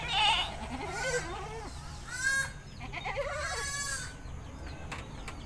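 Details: Domestic goat being bathed in a village in rural Indonesia, giving several quavering, wavering bleats with strong tremolo, about four calls across five seconds, over faint background farmyard noise.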